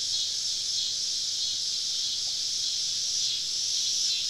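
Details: Deep-woods summer evening cicada chorus heard while camping in the South: continuous high buzzing wash with slow swells in intensity and nothing else clearly audible.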